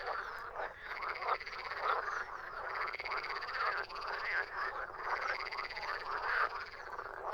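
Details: Frogs croaking together without pause, a thick layer of buzzy, pulsed croaks from many animals with occasional sharper clicks standing out above the chorus.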